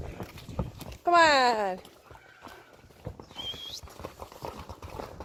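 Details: Friesian horse yearlings from a herd, called over by people; one gives a loud wavering whinny that slides downward for under a second, then a sharp human whistle, with hoof thuds and shuffling throughout.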